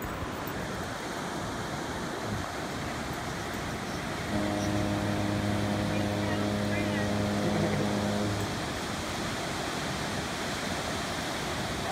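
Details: Steady roar of ocean surf at an off-leash dog beach between Morro Bay and Cayucos, California, with a flat, droning mechanical tone for about four seconds midway; no barking or other animal voice stands out.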